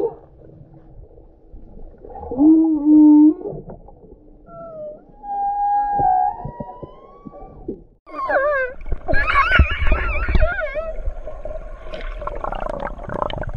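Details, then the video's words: Humpback whale singing, with low, steady moaning tones in the first half. These give way to loud, wavering, harmonic-rich cries that rise and fall, mixed with rough bursts and low rumbling. "Nyanyian merdu Paus Bungkuk & Paus Orca"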